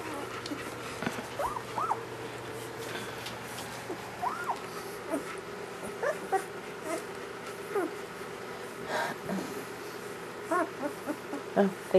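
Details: German Shepherd puppies from a first litter, newborn, give soft scattered whimpers and brief arched squeaks, spaced irregularly and fairly faint, with a low steady hum and background noise throughout.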